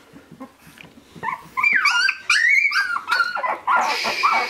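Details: Shiba Inu puppies of Ichi and Hime, born 25 February 2017, recorded 13 March 2017 at sixteen days old: soft faint squeaks give way to loud, high, wavering whines that rise and fall, overlapping in quick succession.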